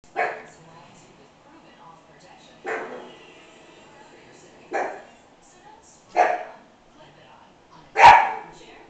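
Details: American Hairless Terrier puppy barking at its owner seen in a mirror, five sharp barks spaced about two seconds apart, the last one loudest, in a quiet room.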